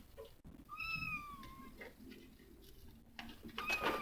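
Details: Mother domestic cat looking after her kittens: one drawn-out meow that starts higher and slides gently downward, followed by quieter rustling and a brief bright noise at the end.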